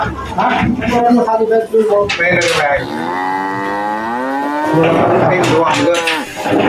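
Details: During loading of Qurban cattle onto a vehicle in 2024, a drawn-out moo rises then gently falls over about two seconds, framed by shorter grunting calls, knocks and handling noise.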